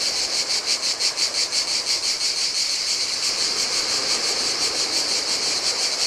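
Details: Cicadas singing in the heat by turquoise Adriatic water on an empty Greek island beach: a high, electric, pulsing whine, strongest at the start, steady throughout, over a faint murmur of waves.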